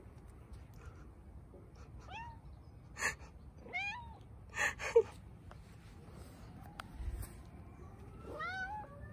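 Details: A Bengal cat in hot weather calls with a series of short meows, each curving up and down in pitch, with pauses between; brief clicks and rustles from handling or movement come through between the calls.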